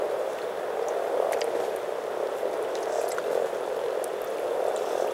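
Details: Spring gathering of more than 300 frogs in Teisko, Pirkanmaa, Finland: a steady, packed mass of soft low croaks blending into a bubbling hum, with scattered light ticking sounds.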